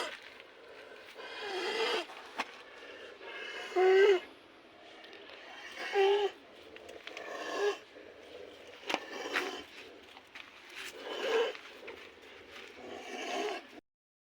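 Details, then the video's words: Cattle suffering from snoring disease: a run of rough, wheezing snore-like breaths, uneven but recurring roughly every two seconds, some ending in short squeaky peaks, over about fourteen seconds. "Snoring disease in cattle"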